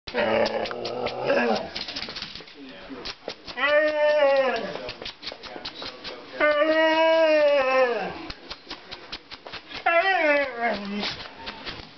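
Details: Male Siberian Husky indoors, vocalizing to ask to go outside: rough noisy sounds at first, then three drawn-out, wavering howls, each lasting one to two seconds, with a person talking to the dog between them.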